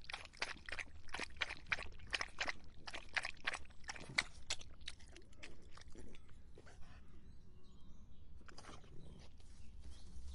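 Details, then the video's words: Dog drinking during hot summer weather, quick splashy laps about three per second for the first five seconds, then slowing into scattered softer slurps and quiet. "더운 여름 강아지가 목 축일 때 나는 소리 The sound of dogs on their throats in the hot summer"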